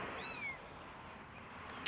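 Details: Abandoned kitten carried outside, giving a single thin, high-pitched meow that slides downward early on, followed by quiet outdoor hiss with no other clear sounds.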